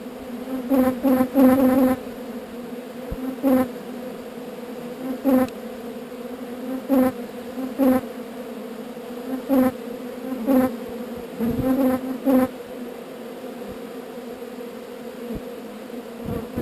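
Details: Honey bee swarm being relocated from an undesired location: steady low droning hum rich in overtones, swelling into short louder bursts roughly every one to two seconds.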